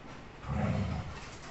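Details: Pet Labrador Retriever during play fighting: a short, low rumbling growl swells for about half a second and then fades, heard indoors with a faint hiss in the background.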